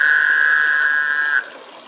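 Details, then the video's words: Frogs in a hotel drainage pool in Tucson, Arizona, in April 2023: one gives a steady, buzzy, mid-pitched drone of about a second and a half, then stops abruptly. The call was strange enough to be first mistaken for a barn owl. "These frogs at the hotel drainage pool made the strangest sound. We thought it might be a barn owl till we went out and found them."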